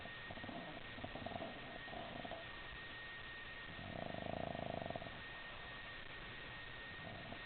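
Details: Sleeping Boston Terrier puppy, twitching as it snores; faint irregular breathy snuffles early on, then a louder rasping snore lasting about a second near the middle, fading back to soft breathing over a low steady hum.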